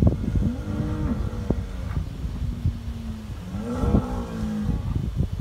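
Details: On a New Zealand dairy farm, fighting Hereford bulls let out long, level, droning bellows that overlap one another, one rising sharply near the middle, over heavy low thudding and rumbling noise.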